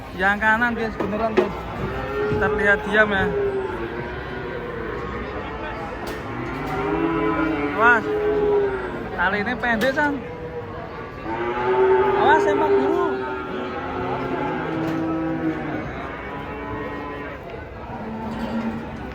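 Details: Giant cattle being unloaded from a truck: repeated drawn-out moos that rise and fall, roughly every five seconds, with sharp knocks and clanks and background voices between calls.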